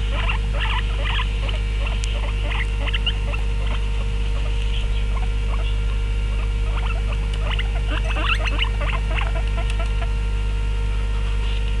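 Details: Two male and one female guinea pig vocalizing while eating: quick clustered squeaks and chirps in uneven runs, thinning briefly midway before picking up again, with a constant electrical hum beneath.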